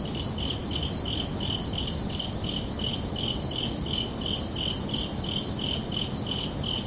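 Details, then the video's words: Night-time cricket chorus on a summer evening, clear high chirps repeated at an even pace, a little over one per second per caller, layered pulses at two pitches against a soft, continuous rushing background. "Calming Cricket Sounds for Relaxation"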